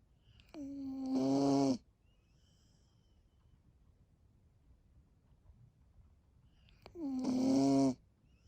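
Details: Corgi named Seri sleeping soundly indoors, snoring: two drawn-out voiced snores, each a steady buzzing hum with rich overtones lasting about a second, spaced roughly six seconds apart in a quiet room.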